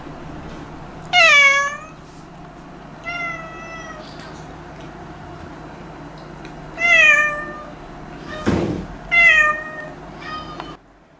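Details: Meowing from a stray cat that visits to eat leftovers: five clear, tonal meows, some falling at the end, spaced two to three seconds apart, with one sharp knock-like thump between them and faint low room hum throughout.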